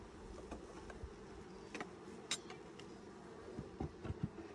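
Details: Honey bee colony buzzing during a 2020 hive inspection six days after nuc installation, a continuous low droning hum broken by sharp knocks and handling clicks from the frames and equipment.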